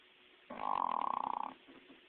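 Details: English bulldog Hank, asleep indoors, snores loudly: one rasping, fluttering snore about a second long made of rapid buzzing pulses, then soft, rougher breaths trailing off.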